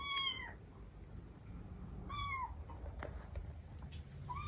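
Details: Cat meowing indoors as recordings of Tsukushi's kitten calls are played, drawing the household's cats together. Three short falling meows spaced about two seconds apart, with faint clicks and room noise between them.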